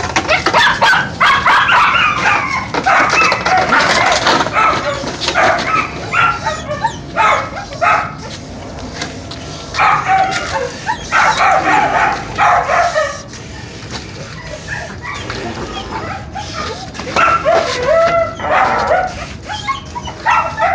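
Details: Donovan Pinscher pups under testing, with dense, noisy bursts of sharp yips and rough barks tumbling over one another, then brief quieter gaps and clattering handling sounds.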